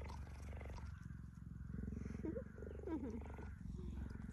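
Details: Tender cheetah nuzzling a person in the sun, described as caring. Low pulsing purr continues steadily, with a couple of short high chirping squeaks in the middle and quiet talking.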